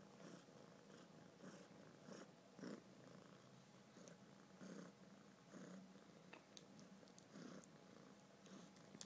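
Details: Male kitten purring while someone holds its head, a low pulsing rumble repeating roughly twice a second, accompanied by faint rustles and small clicks.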